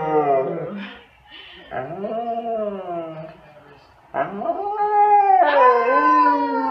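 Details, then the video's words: Siberian Huskies barking and howling together at full power: a series of bending, talkative howls of varied length, some sliding upward sharply, with short dips in loudness between the cries. "シベリアン・ハスキー 犬 鳴き声 みんなで全力で吠える Funny Dog Siberian Husky Bark"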